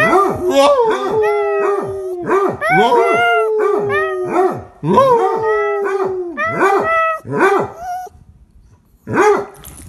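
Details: A Chihuahua named Shadow gives a long run of howls, each a quick yelp sliding into a held, slightly falling tone. The notes come close together, then break into a short pause before one last howl.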